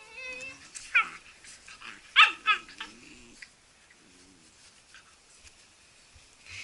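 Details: Blue Heelers at play with their owner give two or three short, high, strained yips and whimpers in the first three seconds, then things go quiet with faint thuds.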